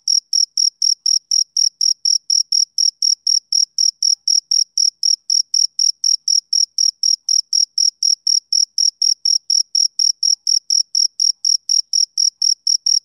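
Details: A male cricket keeps up its rhythmic summer-evening chirping, shrill uniform pulses near four a second sustained throughout, with a quiet, empty background.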